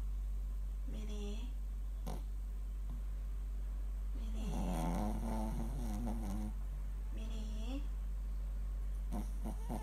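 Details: Shih Tzu dog sleeping and snoring indoors: three drawn-out, wavering nasal snore rumbles, the middle one longest at about two seconds, with short gaps between, over a steady low hum.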